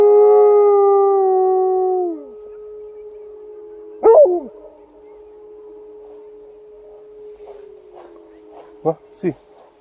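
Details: Alaskan Malamute on a winter walk howling along with a monthly air raid siren test: a sustained harmonic howl that drops away after two seconds, a steady siren tone continuing underneath, then brief yelps and some speech.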